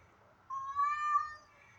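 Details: A domestic cat gives one drawn-out, nasal meow that holds a steady pitch before fading, in a backyard in the morning; an orange and a white cat may be fighting or courting a female in heat.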